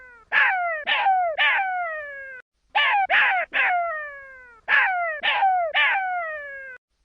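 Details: Baby jackal voicing three rapid trios of piercing, descending yelps with whining tails, each trio about two seconds apart, in otherwise quiet surroundings.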